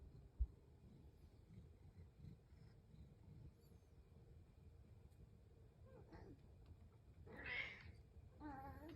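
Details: Pet cat waiting for breakfast in a home in the morning; low rumbling purr through the first seconds, then a short rising meow near the end followed by a fainter wavering meow.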